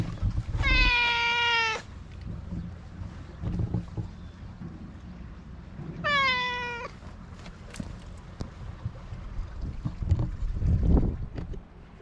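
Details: Black-and-white cat met on a cat island in Japan, coming closer while vocalising: two clear meows about five seconds apart, the first long and level, the second shorter and falling, amid rumbling wind-like noise and scattered clicks.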